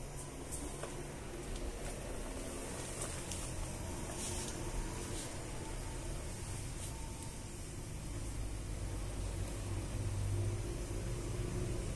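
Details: Low indoor hum inside a store, like air conditioning or passing traffic, with a few faint clicks and taps, and no animal voice heard.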